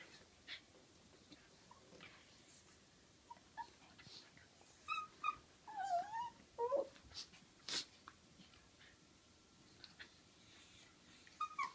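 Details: Female dog Butterball making a funny noise while playing and wrestling with Looey: short high squeaky whimpers and whiny yelps, several sliding downward, bunched in the middle with gaps of quiet rustling between.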